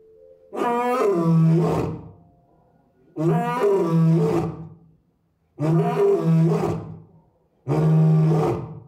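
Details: Lone male lion, six years old, at Asahiyama Zoo's big-cat house in Japan, roaring repeatedly with family missing, May 2024; four powerful, resonant roars in steady succession, each long and harmonic, echoing in the enclosure.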